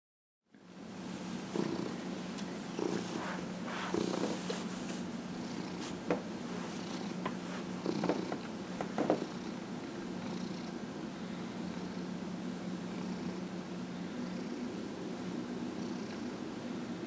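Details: Dillard, a 15-and-a-half-year-old domestic cat, purrs steadily while being massaged indoors; a continuous low rumbling purr runs throughout, with a few soft clicks and rustles over the first ten seconds.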